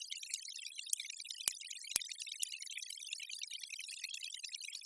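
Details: Sharp, broadband sperm whale clicks spaced about half a second apart over steady underwater hiss, recorded in the deep sea; striped dolphin clicks may also be present but are above the audible range; sperm whale.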